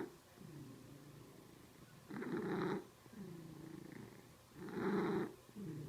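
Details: Domestic cat in a funny pet compilation, purring indoors in slow, rough, rhythmic bursts. Each loud breathy pulse lasts about a second and repeats every two to three seconds, with softer pulses between them.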